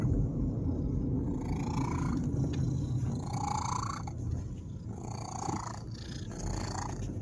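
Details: Male domestic cat riding in a car, which he loves: a steady, low rumbling purr runs throughout, with a few short rising tonal sounds above it and soft vehicle noise.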